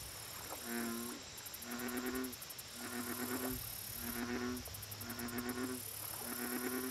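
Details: Resonant, low, harmonic croaks from an American bullfrog at a lake, six of them in quick succession about once a second, with a whining high insect hum and bursts of rapid high-pitched pulsing behind.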